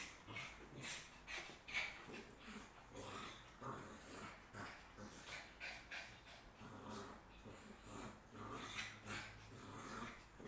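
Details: Maltese-Shih Tzu dogs racing and playing, giving repeated short rough growly bursts in an uneven rhythm, with scuffling and a person speaking briefly nearby.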